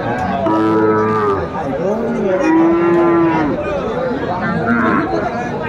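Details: Sahiwal bull calves for sale at a busy cattle market on 11 January 2025, with buyers headed to Sylhet; several long, wavering moos in succession, some rising then falling, over bargaining voices and crowd chatter.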